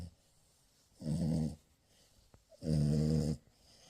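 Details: Two deep, raspy snores from a French Bulldog puppy asleep during morning cuddles, each nearly a second long with a resonant buzzing tone, separated by a short silent gap.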